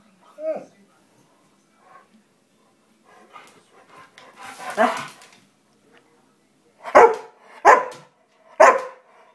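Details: Female Greater Swiss Mountain Dog, two years old, talking during her stretch: a short whine, a longer grumbling moan, then three loud, bark-like vocal bursts in quick succession, with soft background sounds between them.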